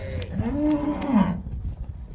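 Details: Cow for sale in Pakistan, Jersey or Friesian–Cholistani cross, recorded 21 January 2025; a single low, drawn-out moo of about a second with rich harmonics that dips slightly at the end, over faint background noise.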